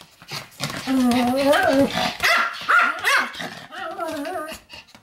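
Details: A Pomeranian 'lecturing' with drawn-out, whining, talk-like grumbles. The tonal notes wobble and bend upward, mixed with a few sharper yaps.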